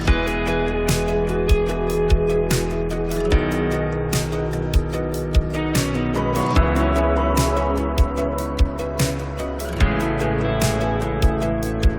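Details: Plucked guitar music with sustained tones fills the recording, with no tiger or other animal voice.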